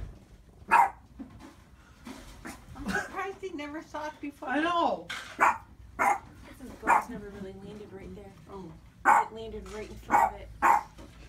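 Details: Indoor Boston Terrier barks at his own reflection, giving single sharp barks at uneven intervals while people talk and comment over much of the recording.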